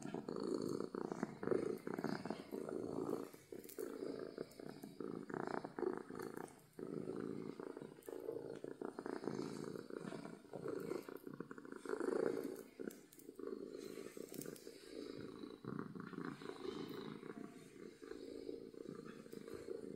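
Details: A happy house cat purrs loudly and steadily, low vibrating rumble running almost without pause, slight rises and dips with each breath, soft rustling heard at times.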